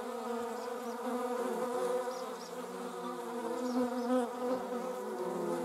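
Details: Wasp, a German wasp or paper wasp, giving a continuous humming buzz, low and richly layered, swelling gently and dipping without pause for several seconds.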